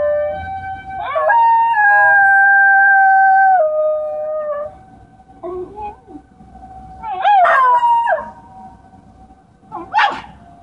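A Basenji howls in long, wavering, siren-like tones that rise, hold steady, then slide downward.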